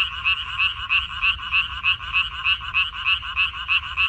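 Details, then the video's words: Frogs in a water parsley field, 14 May 2021, calling with evenly spaced, rattling, high croaks about three each second, each note bursting then fading, over a low, steady background hum. "고향 생각 나게 해주는 개구리 소리, 미나리밭의 그놈들, Croaks of Frogs, Sounds of frogs, Song of frogs"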